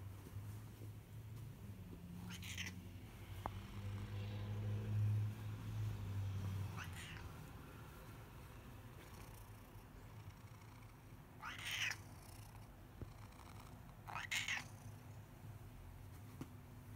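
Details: Hungry male pet cat meowing because he wants to be fed: four short, upward-sweeping meows spread over about twelve seconds, each separated by quiet gaps, over a steady low hum.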